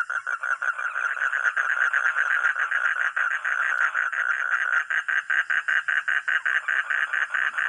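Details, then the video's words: A frog or toad croaks in a fast, steady run of nasal, mid-pitched pulses, about two and a half per second, lasting the whole stretch with no other clear sounds. "Real 🐸 sound katak atau kodok || frog or toad"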